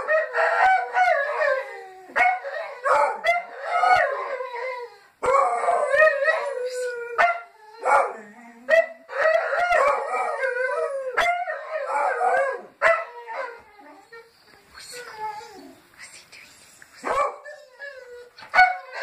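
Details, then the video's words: Petit Basset Griffon Vendéen dogs in chorus, greeting the neighbours: layered, quavering howls sliding up and down, bursts of short yelps between long notes, continuing nearly throughout before trailing off into softer sounds. "Petit Bassett Griffon Vendeens greeting the neighbours"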